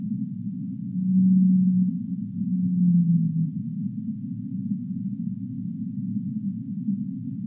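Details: Deep-sea whale sounds: two sustained low moans early on, the latter gently descending, then only a continuous dark rumbling hum for the rest.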